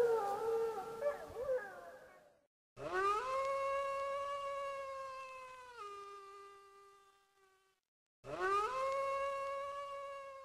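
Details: Wolf howls: after a fading wavering call, a long howl swoops up, holds steady, then drops abruptly to a lower pitch. A pause of silence follows before another rising howl begins.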